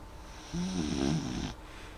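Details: Molly, a dog, asleep indoors and snoring only softly: a single drawn-out snore of about one second, a low, rough, harmonic drone with a slight wavering, set against a steady faint room hum.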